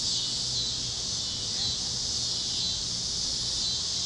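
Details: Cicadas chirping at sunset over fields in Kansas on a warm evening on the great plains: a steady, dense high-pitched hiss that holds even throughout, with faint low rumble beneath and no distinct other callers.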